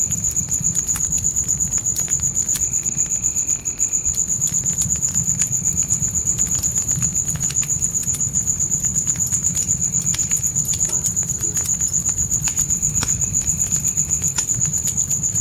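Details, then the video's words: In a nighttime forest, crickets keep up a shrill, rhythmic trill at roughly four pulses per second. A fainter second insect buzz comes and goes, and a campfire crackles and rumbles throughout. "Fire & Crickets Night Ambience"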